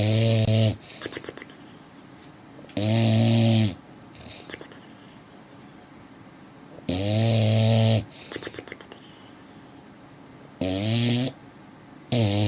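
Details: Sleeping female dog snoring heavily. Five loud, buzzy, rasping snores in about twelve seconds, at irregular intervals, each followed by quieter wheezing breaths.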